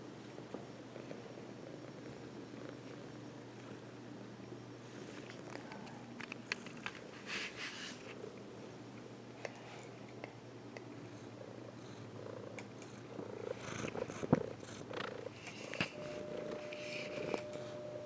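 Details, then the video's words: Domestic cat purring on its owner's lap indoors, a low steady rumbling drone with faint rustling and scattered soft clicks, louder handling noises toward the end. "Purring on my lap"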